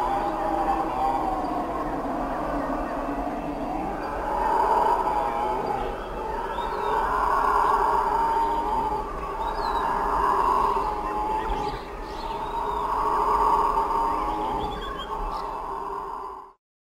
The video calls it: howler Monkey (sound effect)